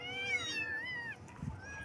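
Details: Baby kittens meowing in the morning: one long, high, wavering meow falling at the end, followed by a soft knock and a fainter later cry.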